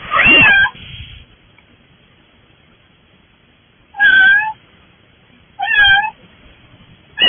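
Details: Stray kittens arrived at a front door and later fostered, giving loud meows: one long wavering cry, then two more harmonic meows spaced a few seconds apart, with quiet between them.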